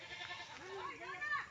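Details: Pregnant goat close to giving birth, separated from the herd and brought home to be watched; a nasal, rising-then-falling bleat arches upward and bends down, with a person talking over it.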